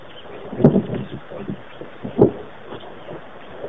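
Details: Chacma baboons at Pete's Pond in Mashatu Game Reserve, southeastern Botswana, recorded 15 April 2008. Low, gruff grunts: two stronger bursts about one and a half seconds apart, separated by softer short grunts over a steady outdoor hiss.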